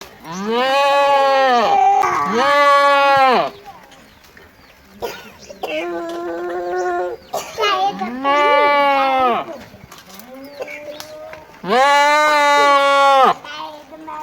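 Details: Goat. Loud, drawn-out goat bleats come one after another, each a harsh, wavering nasal cry lasting a second or more. A softer, higher bleat from another goat falls between the louder calls.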